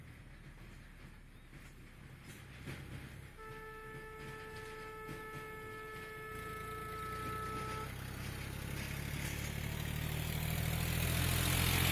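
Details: Traffic rumble builds steadily, with a single steady car horn held for about four seconds and no animal calls.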